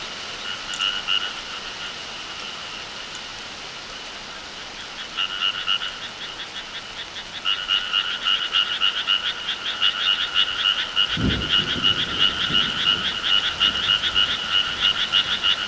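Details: Frogs croaking in the countryside in summer. Calls are weak at first, swelling after five seconds into a dense chorus of rapid, pulsed, two-toned croaks repeated several times a second. A brief low rumble near the eleven-second mark.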